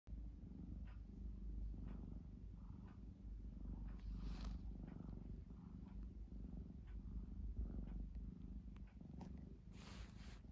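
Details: Pet cat purring close up: a low, steady rumbling purr pulsing about four times a second, with faint soft clicks and rustles on top.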